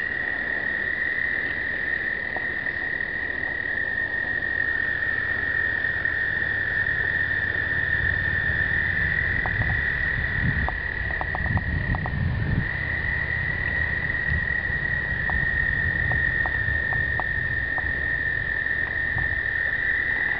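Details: Chorus of American toads during explosive breeding in 2009, overlapping long musical trills forming a constant ringing drone, with low rumbling handling or wind noise and scattered clicks underneath; recorded on a pocket point-and-shoot camera.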